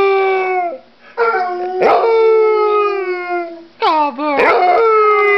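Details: Pet dog howling with a bone, sustained tonal howls sliding slowly downward, broken by short yelping breaks, with soft human speech in the background.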